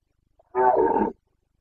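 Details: Single loud roar of a Carpathian stag during the 2021 breeding season in Bucovina, Romania: a harsh, sustained bellow lasting about half a second, preceded by a tiny faint grunt.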